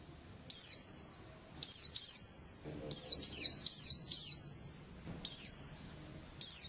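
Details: Caged contest white-eye, locally pleci, singing separated bursts of high, sharp downward-slurred chirps, some doubled or tripled, with ringing tails and faint low background sounds.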